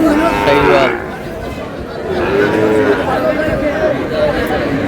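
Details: Sahiwal cattle, bull calves at a busy livestock market in Bangladesh on 21 April 2026, bound for Dhaka; a low harmonic moo fills the first second, followed by men's voices bargaining amid market chatter.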